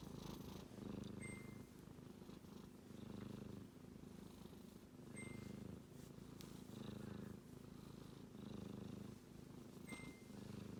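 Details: A sleeping male kitten snoring: a soft, low rumbling breath that swells and fades roughly every two seconds, with brief high electronic pings sounding a few times in the background.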